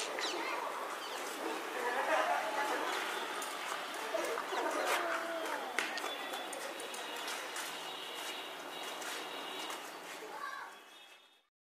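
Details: Domestic cats fighting on a road: wavering, moaning yowls that rise and fall at mid pitch, overlapping with voices, scattered bird chirps and steady broadband background noise, fading out at the end.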